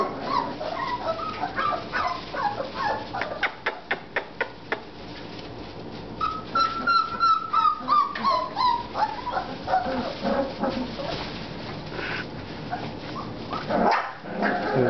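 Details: American Bulldog puppies, four and a half weeks old, whimpering and yipping together: a rapid run of short yips, then drawn-out whines sliding downward in pitch, with scattered squeaks and a brief louder cry near the end.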